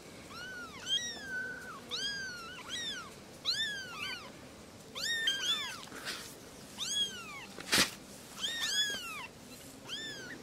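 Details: Kittens running and playing beside their mothers, crying for attention with a steady stream of high, bowed meows, sometimes in quick pairs, plus a brief loud thump partway through and low room noise.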